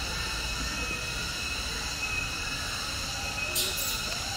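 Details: A cicada sings a steady, high, ringing drone without a break, in a 10-hectare protected conservation forest within a tourist park that is home to long-tailed macaques.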